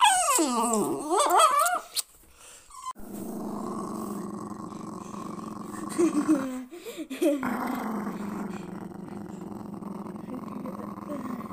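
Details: Jack Russell Terrier guarding its owner, opening with a sweeping whine-like cry, then a long steady low rumbling growl, briefly broken and resumed after a pause.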